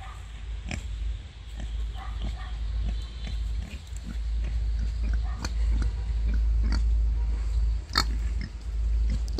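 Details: A wild boar sow giving birth grunts in short, low bursts over a steady deep rumble.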